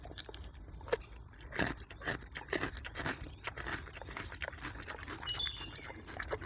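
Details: Wild boar in a forest eating a carrot with loud smacking: rapid, dense wet clicks and crunches at an irregular pace, brief high whistled bird notes near the end.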